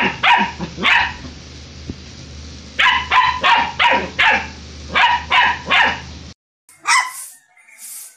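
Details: Puppies barking: high, sharp yaps in quick bursts of two to four, with short pauses, then an abrupt cut to a different puppy's thin, high yelps near the end.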